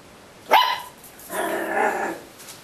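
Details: Ricky, a homeless puppy, gives a sharp yelping bark that drops in pitch, then after a short pause a longer harmonic whining bark follows, lasting under a second; background otherwise quiet.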